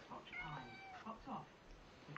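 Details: A Siamese cat, with a butterfly, gives drawn-out, tonal meows, with a quieter voice possibly in the background.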